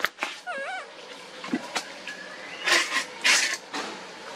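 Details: Baby monkey named Lucie crying as she begs her mother for milk and is refused; a wavering, warbling tonal wail with stacked harmonics, then harsh noisy bursts and thin rising whines amid clicks and rustling.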